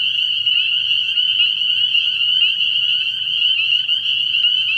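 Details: Night chorus of many spring peepers at a frog pond in early spring, a continuous high-pitched shrill wall of peeping with slight pulsing, and a faint low droning sound beneath.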